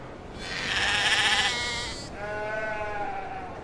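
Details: Two sheep bleats follow each other: first a loud, bright, quavering cry lasting over a second, then a lower, softer, steadier bleat trailing off.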